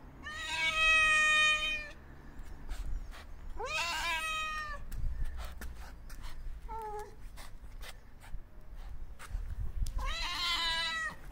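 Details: Homeless white and orange male stray cat calling for attention with three loud, wavering meows, the middle one rising sharply at its start, plus one short soft mew between them and scattered clicks in the background.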